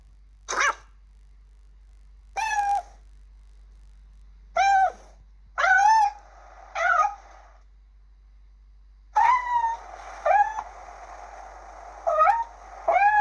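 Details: Kittens calling in short, sharp meows spaced a second or two apart, about nine in all, each a quick high upsweep with bright harmonics, becoming more frequent and overlapping toward the end.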